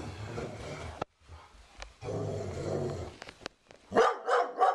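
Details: Sugar Tree, a female Doberman, confronts a cow skull on the living-room wall to protect her owner. A low, rumbling growl comes in two stretches, then a quick run of three loud barks closes the clip.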